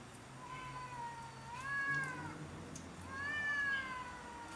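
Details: Quarrelling cats on house roofs over territory: a low moan swells into two rising-and-falling yowls about a second and a half apart, over a steady low hum.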